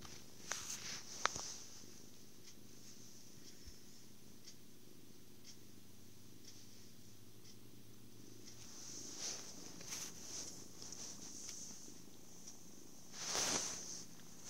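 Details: Happy kitten purring through cuddles, food and sleep: a steady, low rumbling purr runs continuously for about eight seconds, with soft handling clicks and brief rustles, and a louder rustling burst near the end.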